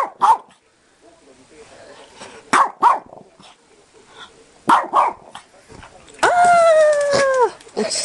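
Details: Pekingese named Daifuku, excited after being startled, later falling off a bed; sharp short barks scattered through, then a long high whining howl with a falling end, with people talking.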